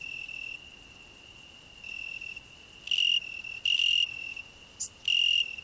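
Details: Cricket singing on a rose bush alongside a grasshopper, a hedgehog resting beneath: a steady high pure-toned trill runs throughout, overlaid by louder buzzy bursts near 3 and 4 seconds and again at 5, plus a short sharp click.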